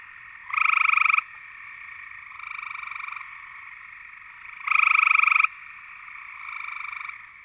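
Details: Gray treefrog (Hyla versicolor) from Georgia gives short, musical pulsed trills, loud bursts alternating with softer answering ones.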